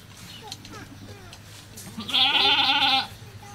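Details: Goat giving birth at a cow farm: one loud, quavering bleat lasting about a second rises out of soft background chatter and faint scattered sounds.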